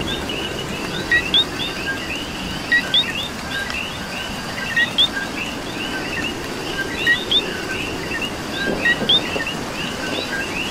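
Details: Puerto Rican coqui in rain gives paired chirps, a brief low note and a quick rising whistle, spaced a second or two apart. Many other frogs call steadily behind it over soft rain.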